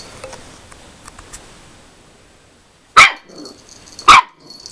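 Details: Puppy Rolo, 13 weeks old, barking at himself in the mirror: two loud, sharp high-pitched barks about a second apart after a quiet stretch of faint shuffling.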